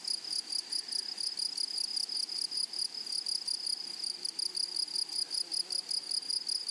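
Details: Grasshopper chorus in a flowery prairie meadow: rapid, pulsing, high-pitched buzzy chirps repeated around 150 times a minute, irregular in rhythm, thin and piercing with a soft overtone.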